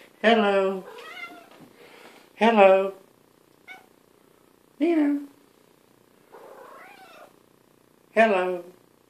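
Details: A pet cat in a bathtub while grooming herself meows four times over nine seconds: loud, harmonic, slightly falling meows spaced about two to three seconds apart, with quiet Dutch speech and softer murmurs between them.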